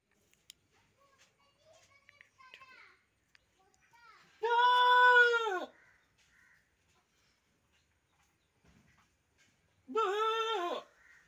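A goat lets out two long, loud bleats about five seconds apart, each strained, nasal and slightly quavering. Faint voices, including children, murmur in the background between the calls.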